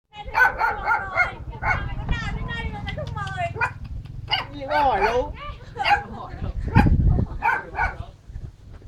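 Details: Blue-eyed puppy giving a quick run of four short, sharp yips in the first second, then a mix of whiny yelps and human voices, with a few more clipped barks near the end.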